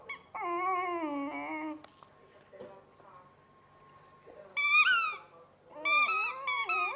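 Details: Sammy the dog whines while chewing his squeaky hedgehog toy: a long, wavering, harmonic whine falls in pitch over about a second and a half, then higher, bending squeals come in short bursts near the end.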